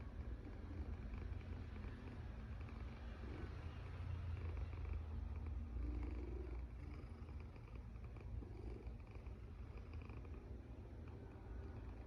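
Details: Deep rumbling snore from a sleeping cat, a continuous low throb that grows louder near the middle before settling back to an even drone.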